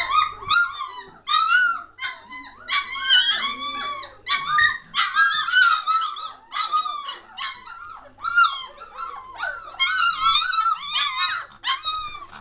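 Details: Noisy German Shorthaired Pointer puppies, a Katelands Gundogs litter aged 3 weeks 1 day, filmed 22 May 2014: continuous chorus of overlapping high squeals and whimpers, pitch bending up and down, with barely any gaps.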